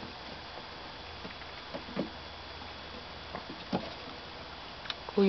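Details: A quiet indoor room with low background hiss and a few faint taps, then a louder bump at the end, with no animal sound.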